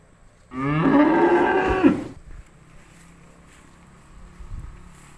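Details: Cow set loose to eat grass in an empty rice field gives a single moo of about a second and a half, steady and nasal, ending abruptly, followed by near silence with faint field noise.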